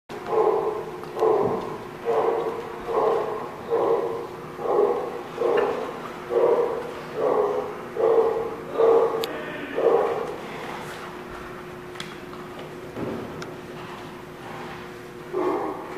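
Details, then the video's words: A dog, recorded on 3/11/16, barks in a steady series about once every second for ten seconds, each bark short and mid-pitched. The barks then stop, and a single bark returns near the end over faint background noise. "The Barking Lot"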